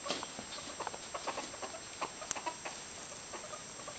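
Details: Two ferrets play-fighting make soft, quick clucking chuckles in scattered bursts.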